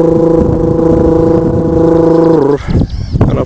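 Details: A steady droning hum like an engine or sustained tone, then a few scraping, clattering bursts, with no animal voice.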